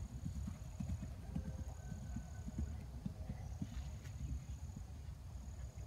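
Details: Hooves of a 2012 RPSI mare being ridden over fences for the fourth time, 3/29/16, thud in a steady, rapid low drumming throughout, backed by a constant rumble and a faint high steady tone.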